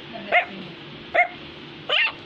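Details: Three separate high, sharp yaps from an Affenpinscher toy terrier, the last one slightly drawn out and whiny, in a quiet room.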